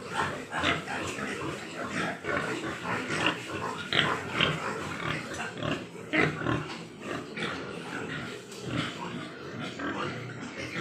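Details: Large White Yorkshire pig farm in Nadia, West Bengal: a steady, crowded din of grunts and brief sharp squeals, pulses packed closely for the whole stretch with little pause.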